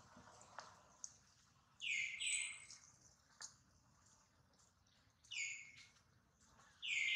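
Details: Hurt baby monkey Duke crying while mother Duchess worries; three loud, shrill wails slide downward, spaced a couple of seconds apart, over quiet background with scattered soft knocks.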